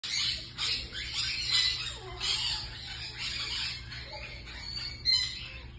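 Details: Ace and Lola, two baby marmosets kept as exotic pets, give high, harsh squeaky chirps in quick overlapping bursts, almost without pause, over a steady low electrical hum.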